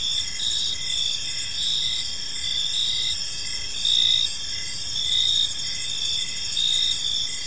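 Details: Gentle chirping of crickets at dusk in a park: overlapping high, ringing trills swell slightly now and then, while short lower chirps repeat at a steady pace, with a quiet low hum underneath.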